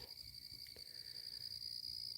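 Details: Many crickets calling on a quiet night at a lake: a steady, unbroken high-pitched trill holds one even pitch throughout, with a few faint soft knocks underneath.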